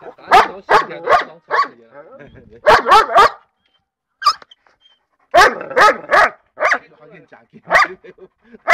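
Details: Tibetan Mastiff giving loud, sharp barks in clusters of two to four, with short pauses between bursts and a longer gap midway; a person speaks Chinese in the background.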